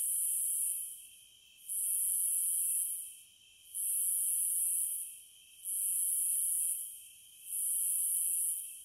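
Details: Cicadas produce a piercing hiss that rises sharply, holds for over a second, then sags, five times in under nine seconds, with a continuous lower whine beneath.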